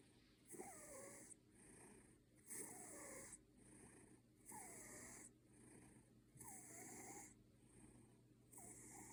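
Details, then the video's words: Ginger Maine Coon cat asleep, snoring like a human: soft rasping snores with a breathy hiss, one roughly every two seconds, quiet and steady indoors. "Кот храпит"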